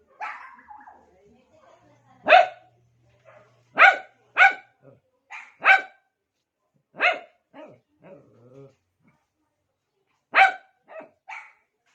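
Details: Pet dog barking to call another dog's attention: about nine sharp, short barks at irregular gaps, some in quick pairs, with a faint low hum early and quiet between barks.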